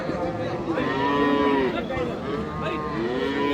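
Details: Cows with calves at Ambari cattle market, Dinajpur, Bangladesh, on 20 December: a long, drawn-out moo with rich harmonics that swells and holds, followed by a second lowing call, over market chatter.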